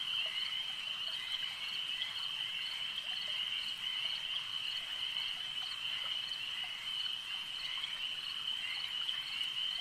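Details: Continuous high, rasping trills from a crowd of frogs at a lake form an even, unbroken chorus at steady loudness throughout.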